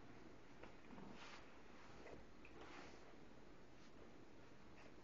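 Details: An English Bulldog male snores with his eyes open in soft, raspy breaths that rise and fall roughly every second or so.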